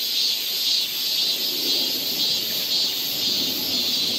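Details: Cicada song on a summer forest path in Seoul, Korea: a shrill continuous buzz that swells and fades in slow beats, a bit more than one pulse per second, with no other sounds.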